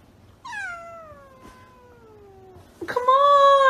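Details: Domestic cat indoors giving a long drawn-out meow that slides steadily downward, followed after a short pause by a louder, rich, sustained meow; a person talks nearby about sleeping.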